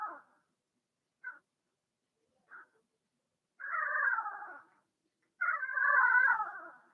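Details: Young Blenheim Cavalier King Charles Spaniel puppies in an indoor puppy pen: two brief faint squeaks, then two longer wavering whines of about a second each, falling slightly in pitch, with quiet gaps between.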